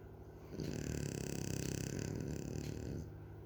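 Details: A sleeping French bulldog snores in one long rattling breath lasting about two and a half seconds, a low, rough, vibrating drone that starts and stops abruptly against quiet room noise.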